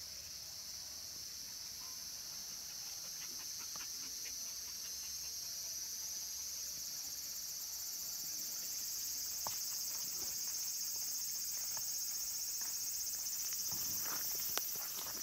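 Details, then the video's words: Late-summer cicada chorus among the trees of Kabusanji temple in the mountains of Takatsuki City, Japan, with minmin cicadas and tsukutsukuboshi; a dense, continuous high shrilling that swells slightly louder and rises a little in pitch, with a few soft knocks. "Cicadas' voice"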